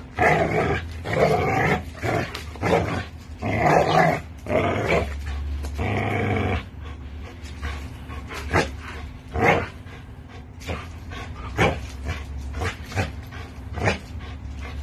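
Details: Pit bull and American bully tugging on a toy: a string of low, rasping growls and snarls in the first half, then quieter scuffling clicks and thuds of play.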